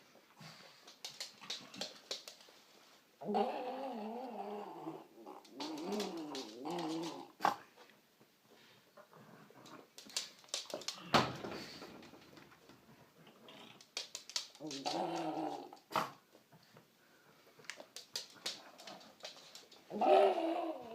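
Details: Female pug celebrating finally getting her bone, a gift after a walk or trip, indoors; wavering, warbling whines in long bursts alternate with snorts, grunts and chewing clicks, a loud wavering whine near the end.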